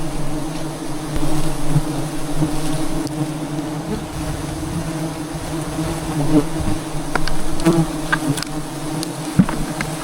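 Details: Wild bees at a giant hive in trees deep in the jungle, found during honey hunting: a dense, steady low droning hum of many insects, with occasional clicks and knocks of people moving nearby.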